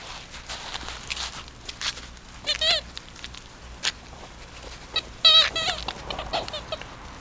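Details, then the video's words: English Cocker Spaniel pups at ten weeks of age, living alongside adult dogs: two short bursts of high, wavering whimpering squeals separated by rustles and scattered clicks. "Englisch Cocker Spaniel Welpen / Puppies 10 Wochenalt"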